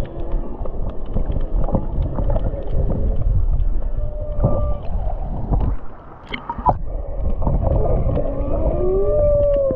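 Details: Humpback whales sing in the background while a sea turtle swims off Maui, Hawaii: drawn-out moaning and rising whistled units over a deep rumbling underwater background.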